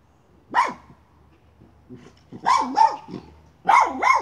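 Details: Miniature schnauzer after a chipmunk at a pipe gives one sharp bark, then two pairs of quick, loud barks with a rough, growly edge, separated by short pauses.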